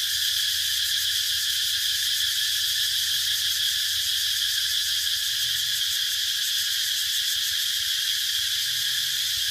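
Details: Cicadas calling in a dense, continuous high-pitched buzzing drone, steady and unbroken throughout, with a faint low hum underneath.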